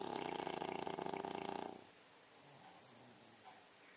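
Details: A six-month-old female English Bulldog snores in her sleep, giving a single rough, vibrating snort-like breath of nearly two seconds that cuts off into quiet room background.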